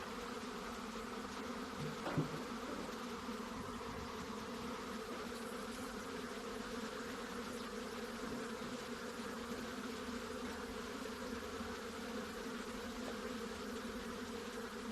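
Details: Continuous droning of many honey bees, an even, low layered hum throughout, with a brief thump early on and otherwise no break in the buzz.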